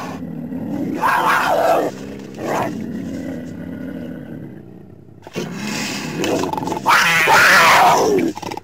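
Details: Lion, July 2016: harsh, gravelly roars and growls in uneven bursts, a long rasping stretch at the start, then louder, strained roaring toward the end, with short quiet gaps between.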